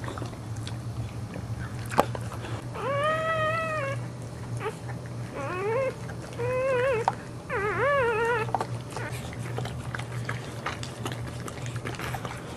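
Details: Indoors during the birth of the second of four Boxer puppies, before the first nursing: four thin, wavering whines with rich overtones, each about a second long, over a constant low electrical hum and faint rustling.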